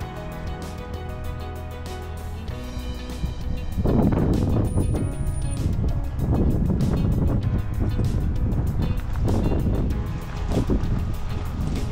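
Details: Loud background music with low rumbling wind and vehicle noise, plus a brief high electronic tone.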